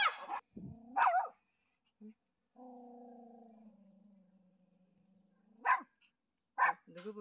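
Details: Dogs Galchi and Jandi meet their male owner on a walking path after his week-long hospital stay; short sharp barks come near the start, around one second, then twice more near the end, with a long low drawn-out tone between and people talking.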